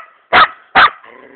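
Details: A hunting Laika in a forest gives two sharp, loud barks about half a second apart while baying at wild boar, as the handler urges it to take the boar.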